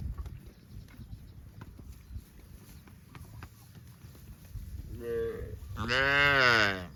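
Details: Livestock cows out in the fields; a short moo near the end swells into a loud, rich, bellowing call with strong harmonics, over steady low-pitched outdoor background noise.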